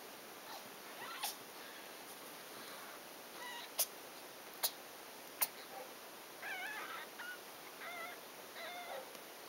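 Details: Six-day-old Ragdoll kittens born 11 July 2012 at a cattery near Poitiers, France, from the litter of Ginger and Floyd, at nursing time; a few faint, high, harmonic mews in a wavering series near the end, with sharp clicks and steady background hiss.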